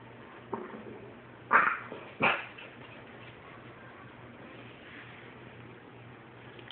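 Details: French Bulldogs, including a 9-week-old puppy, in a disagreement: a few brief, scattered yaps and sharp barks at moderate volume, separated by stretches of quiet room noise.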